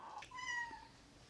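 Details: Domestic cat meow that its owner reads as basically asking to be fed: a brief, faint, steady tonal meow held for under a second, with clear overtones, in a quiet indoor setting.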